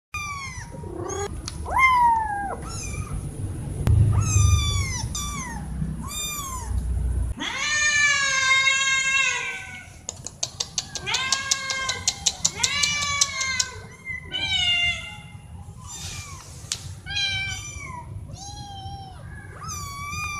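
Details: Several domestic cats, four in total, meowing loudly when wanting something such as food or attention; overlapping harmonic meows, some short and rising, others long and drawn out, with a run of sharp clicking taps midway and a steady high electrical whine.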